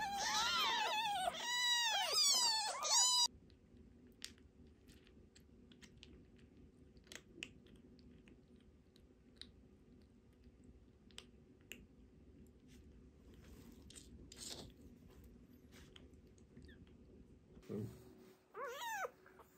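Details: Emergency-rescued foster kittens, a sister and brother, indoors during toilet training: a rapid run of high, arching mews for about three seconds, then a long quiet stretch with soft taps and rustling, and one more mew near the end.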